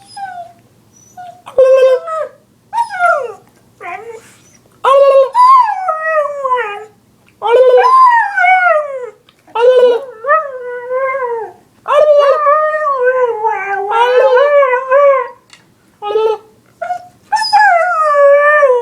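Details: Dog reacting to annoying sounds howls almost nonstop, a stream of wavering, sliding howls that rise and fall, broken by short yips and yelps, loud and close.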